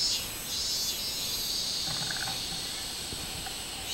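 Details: Shrill cicada buzzing, identified as a robust cicada, recorded 24 July 2016. A loud, dense high-pitched drone wavers in intensity, with faint low knocks in the background.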